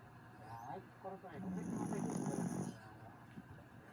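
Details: Grif the dog snoring while asleep: a low, rough rasping snore swelling for over a second, preceded by softer fluttering breaths, with a faint steady high hiss in the background.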